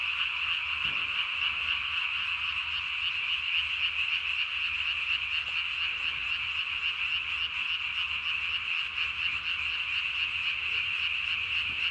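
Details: Night recording from 3 May 2020 of a Japanese tree frog calling with its chin vocal sac blown up to body size: a long, unbroken, high buzzy chorus-like trill made of rapid pulses, about four per second, lasting twelve seconds.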